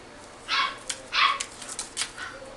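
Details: Toy Poodle × Shih Tzu mix puppy at a pet shop giving short high yaps, two louder bursts in quick succession followed by fainter yips, with a steady background hiss.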